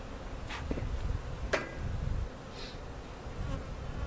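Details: Relocated cutout honey bees settling into their permanent location at Jerome Bee Farm, Central Oklahoma; a deep rumbling hum that swells and fades, punctuated by a couple of knocks.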